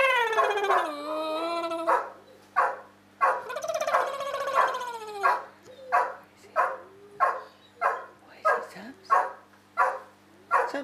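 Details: Domestic dog talking with a second dog: a drawn-out wavering howl, then a run of short sharp yips and barks repeated about every half second, with a constant low electrical hum beneath.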